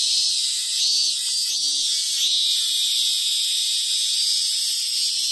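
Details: Robust cicada singing from a sacred tree in the hills of Ehime Prefecture, Japan: a loud, continuous, high-pitched shrill buzz with faint swelling pulses, steady throughout, over a low steady hum.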